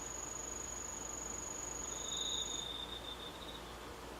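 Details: Autumn insects under the moon on 19 August 2013: a steady very high continuous buzzing tone runs for over two seconds, then a lower shimmering trill starts and fades, over a faint even background hiss.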